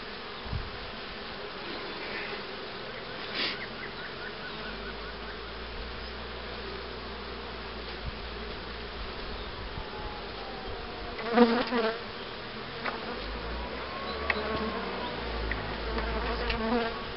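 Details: Colony hum from honey bees at a beekeeping site where hives are readied to raise queen bees in 2013: a continuous low droning buzz, with a single bee flying past near the microphone and occasional scrapes.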